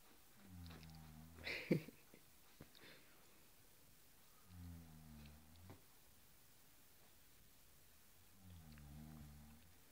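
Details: Playing Cairn Terrier worrying a blue cushion utters three short, low growls, about every three to four seconds, the last slightly wavering, with a sharp knock and scuffling near the start.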